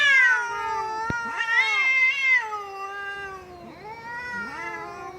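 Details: Domestic cat giving loud, continuous meows, harmonic and wavering, sliding downward then rising again in a long drawn-out wail with barely any pause.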